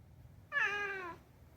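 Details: Talkative rescued house cat Unagi utters a single drawn-out meow that starts bright and slowly falls in pitch, strong and clean against a quiet indoor background.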